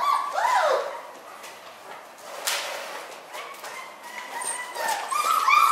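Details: Litter of newborn miniature schnauzer puppies, born on New Year's Day: high wavering whines rising and falling, a quieter stretch in the middle with scattered squeaks, then a renewed burst of thin overlapping cries near the end.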